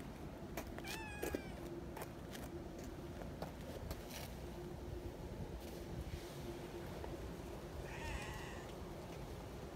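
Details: Kittens among friendly neighbourhood cats, playing near a milk-tea coloured cat, let out two brief meows, one early and one near the end, half-buried under broadband rustling noise and a faint steady hum.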